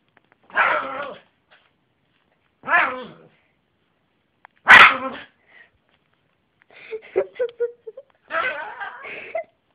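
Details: Yorkshire terrier barking: sharp, short yaps roughly every two seconds, four main barks in about ten seconds, with a run of quieter chattering sounds before the last one.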